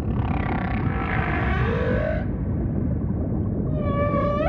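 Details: Humpback whale song with ocean ambience: long harmonic moans that slide downward midway, then a bright rising tonal unit with stacked harmonics at the end, over steady low rumbling water noise.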